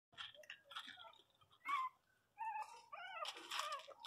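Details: Miniature Pinscher puppies indoors, crying: high, thin whining yelps in short wavering bursts, some rising and falling, with soft rustling and small chewing-like noises between them.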